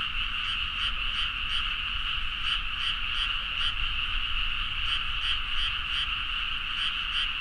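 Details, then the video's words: Dense chorus of many frogs calling at midnight in rice paddies in Nagaoka, Niigata, Japan, captured on a Zoom H4n; a steady wall of croaking with rhythmic pulses roughly every third of a second over low rumble. "The frog sound at mid night (環境,自然音 -深夜のカエル大合唱-)"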